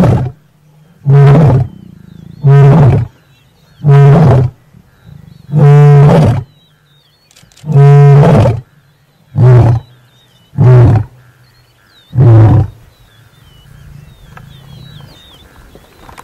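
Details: Lion in the Masai Mara, one of a mating pair, giving a series of nine short, loud, deep roars at uneven intervals of one to two seconds, fading into quiet grunts, with faint bird chirps.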